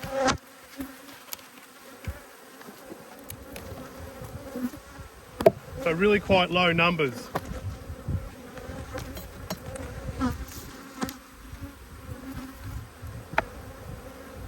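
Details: Honey bees, angry while two hives are inspected, keep up a constant droning hum; midway a bee passes close by with a loud, wavering buzz that swells and fades, and knocks from the hive work sound now and then.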